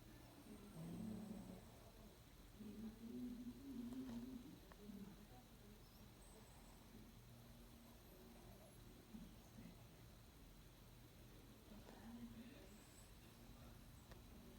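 A Shih Tzu snores in soft, low, rumbly bursts, the clearest coming early on and another near the end. A faint steady hum runs underneath throughout.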